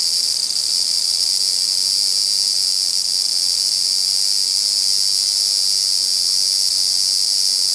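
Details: Dispute between large brown cicadas: an unbroken, dense, frying-oil sizzle holding an even high pitch for the whole stretch, with a very slight dip in loudness near the start.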